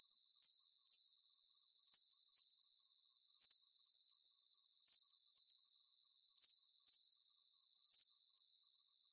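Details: Crickets chirping in a steady rhythm, each high, pulsed chirp repeating about twice a second, with nothing else heard.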